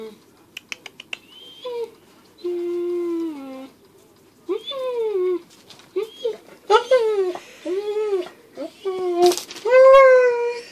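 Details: Jealous pet dog Tank whines indoors as its owner plays with a squirrel: a run of high, wavering tonal whines, some held steady and others bending up and down, coming in quick bursts with brief pauses and a few soft taps.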